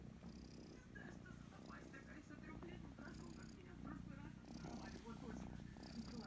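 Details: Kitten Kryska purrs loudly as she is petted behind the ears, a continuous low rumbling buzz with faint rustles from the stroking hand above it.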